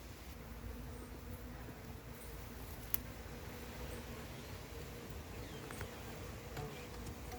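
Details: Massive wild honey bee hive being caught: a steady, droning hum of many bees holds a low pitch with a fainter higher overtone throughout, unbroken by pauses, with a single sharp click near the middle and faint background rustling.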